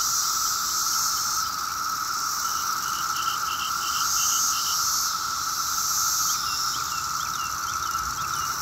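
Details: A dense chorus of 17-year cicadas emerging in mass numbers on a summer day in Maryland, seen flying in a tree nearby, makes a steady, droning hum that never pauses, with road traffic around.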